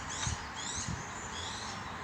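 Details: A bush dog pup just over a month old, near weaning age, gives thin, high squeaks, much like a guinea pig.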